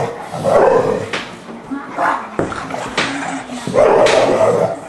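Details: An English Bulldog and a 3-month-old English Mastiff pup named Forest at play: three rough bursts of growly barks and yips, around the start, middle and end, with quieter scuffling and a human voice between.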